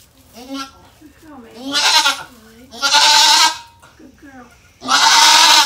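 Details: Rescued mother goat Maybel, at Goats of Anarchy, on the day she gave birth to four kids: loud, harsh, wavering bleats, three long blasts with quieter voices in between.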